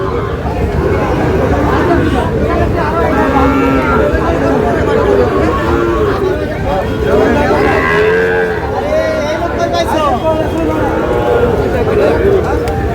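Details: Moos from Sahiwal cattle at a Narail cattle market where a farmer buys a bull calf. Many bellowing calls overlap and arch up and down through the clip, with constant background talking and crowd noise.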